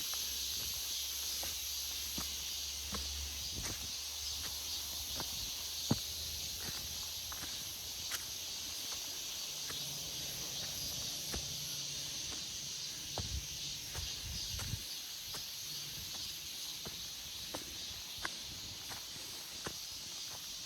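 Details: Chorus of cicadas in a forest in August: continuous shrill high-pitched droning, with scattered sharp ticks and a low hum in the background.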